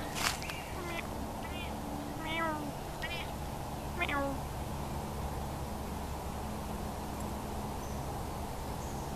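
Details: Domestic cat meowing repeatedly, five short tonal cries in quick succession during the first half, each a little arched wail, with a human voice nearby and a low steady hum and hiss throughout.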